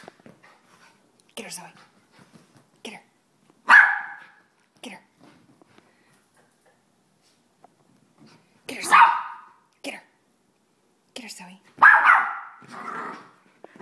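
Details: Soft Coated Wheaten Terrier letting out three loud, separate barks spaced several seconds apart. A person speaks softly between the barks, repeating "baby", and there are light knocks and clicks indoors.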